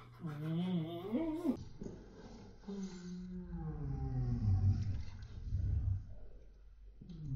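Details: Siberian Huskies talking to each other in a room: low, throaty, drawn-out moaning howls that waver up and down in pitch, broken by short pauses.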